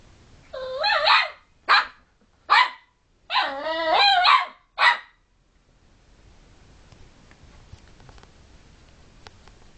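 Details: A lively puppy bothers sleeping housemate dogs with wavering, yelping whines and short, sharp barks, five bursts in about five seconds. A quiet room follows.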